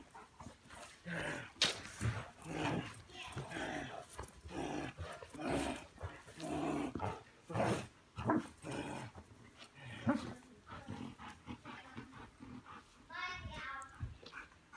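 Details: Belgian Malinois named Bullet doing bite work in a back yard, North Port, Florida; repeated short broadband barks and growly bursts through the first ten seconds, then quieter rustling with a brief high rippling sound near the end.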